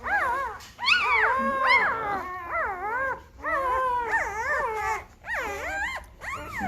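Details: Newborn Great Bernese puppies, five days old, from a Great Pyrenees mother and Bernese Mountain Dog father, bawling in a chorus of looping, rising-then-falling whines, steady and loud with short breaks between bursts.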